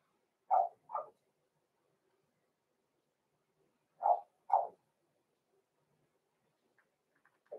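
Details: Blenheim Cavalier King Charles Spaniel puppies Roman and Blue, six weeks old, kept in a home puppy pen and filmed live: two pairs of short, bright puppy barks separated by about three seconds of quiet, then a final yip.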